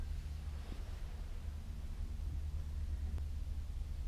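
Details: Low steady rumble like wind or a distant engine, with no animal sound heard.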